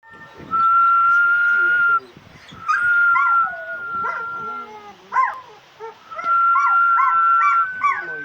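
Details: Dog singing along to a person's whistling: long steady whistled tones alternate with the dog's wavering, yodel-like howls that rise and fall, sometimes overlapping the whistle.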